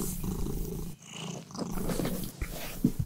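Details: A kitten, the show's mascot, purrs, a low, steady rumble that swells and fades with each breath.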